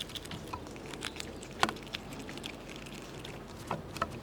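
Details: Squirrels chewing nuts produce fine, rapid clicking and scraping, broken by a few louder cracks as shells split, all over a quiet, low background murmur.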